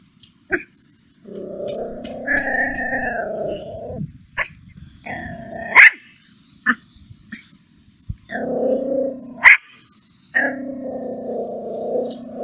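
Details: Angry puppy reacting to a stranger: long tonal growling stretches broken by short sharp barks and yips, irregular, several growl phrases across the recording.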